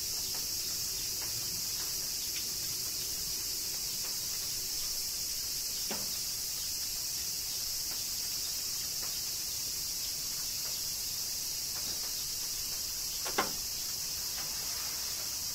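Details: A cicada chorus in Kyoto, Japan, under summer rain: an unbroken high-pitched sizzling drone fills the whole stretch, dotted with scattered soft drips and two louder splashy taps.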